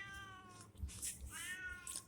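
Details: Domestic cat meowing as a woman coaxes it over to eat, two sustained harmonic meows, the second rising then falling, with faint clatter and voice sounds indoors.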